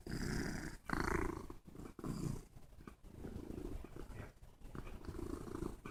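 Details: Pet cat purring up close, a continuous low throbbing rumble with slow swells in loudness, some faint rustling and a muffled voice from a conference call in the background.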